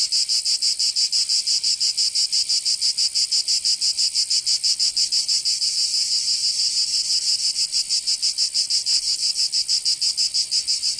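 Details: Cicadas singing in summer in Provence, southern France: a dense, rasping high buzz pulsing steadily about three times a second, with the pulses running on evenly and a brief smoother stretch midway.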